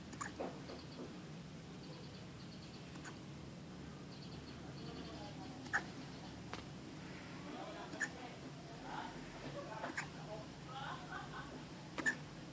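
A Shih Tzu hiccups, short soft clicking jerks repeating about every two seconds in a quiet room.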